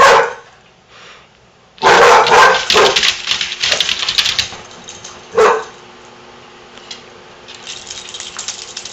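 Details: Two Basset Hounds playing together indoors, a female and her foster sister, give deep, rough barks and yelps in quick, uneven bursts.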